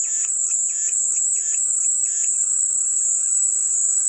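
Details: An unbroken, piercing high buzz of cicadas fills the whole stretch, over faint rhythmic pulsed chirps during the first half.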